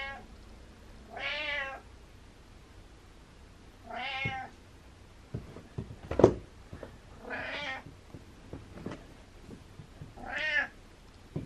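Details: Hungry domestic cat meowing from down the stairs indoors: four drawn-out, harmonic meows spaced about three seconds apart, with a sharp knock and a few soft clicks between them.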